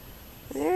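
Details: Toy Poodle puppies from Feather's litter, 3.5 weeks old, recorded 6-29-20: a short tonal whine with stacked harmonics arrives near the end, rising then bending downward, after quiet low rumble.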